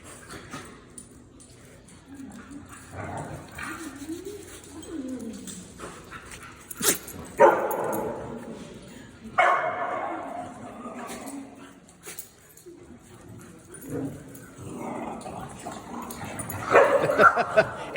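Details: Little pet dogs in a household, among them Ozzie, who is said to bug the others, giving soft whines early on and then sharp, loud bark bursts near the middle and again at the end, with people talking and calling the dogs between.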